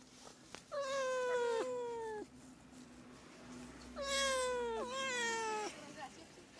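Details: Two drawn-out meows from a house cat, played to lure cats: each starts higher, slides downward, and the second breaks into a wavering double inflection, with a steady low hum underneath.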